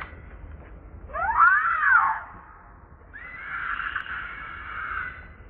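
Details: Baby monkey Leo, hungry and begging its mother for milk, gives two drawn-out cries: first an arched, rising-then-falling harmonic squeal, then a longer, level, hoarse wail after a short pause.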